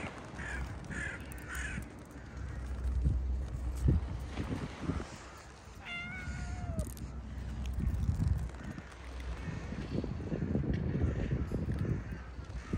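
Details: Stray cat during a heated exchange with its feline companions: one short harmonic meow that rises briefly and then slides downward near the middle, with fainter calls earlier, over a constant low rumble and street noise.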